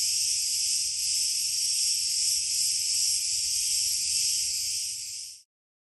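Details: Cicadas in Rethymno, Crete, Greece, keep up a loud, steady, high-pitched buzzing drone without a break.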